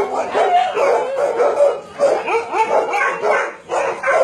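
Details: Many dogs at a combined meat farm and puppy mill in Nonsan, South Korea, January 2017, with Doberman, Shar Pei, Chow Chow and Golden Retriever among about 150 dogs; overlapping barks and yips run continuously in a dense, chaotic chorus.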